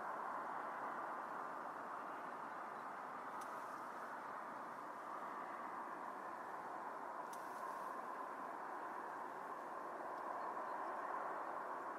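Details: A steady, broad rushing rumble like a passing train or traffic, with two faint clicks and no animal voices.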